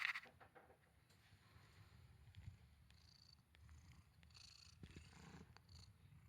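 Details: Mimita, a male pet cat kept indoors, purring quietly in a low continuous rumble with faint rustling and soft background noise.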